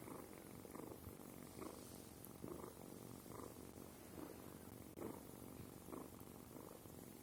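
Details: Sima, a kitten, purrs in a continuous low, grainy rumble that swells in regular pulses about once a second, each breath cycle marked by a slight brightening, otherwise quiet.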